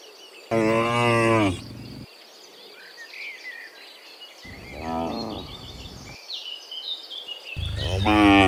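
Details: ['Dozens of cows walking back from the fields to the pen in the afternoon; one loud full moo, a fainter distant moo, then another loud moo starting, over chirping birds.']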